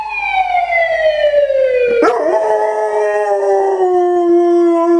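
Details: A male German Shorthaired Pointer howls for the first and only time, a long, sustained howl that slides steadily downward in pitch.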